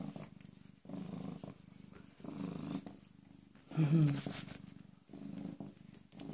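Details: {'caption': 'Young rescued female cat, recently spayed, purring in low rhythmic bursts with brief pauses, while a person speaks briefly in the middle.'}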